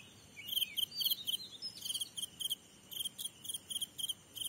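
A grasshopper stridulates in short, dry, high-pitched buzzy bursts repeated in an uneven rhythm.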